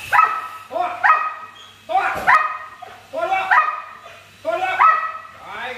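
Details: Belgian Malinois, a very large 47 kg dog, during a training session; sharp, harmonic barks come in short bursts about once a second, with a man giving commands between them.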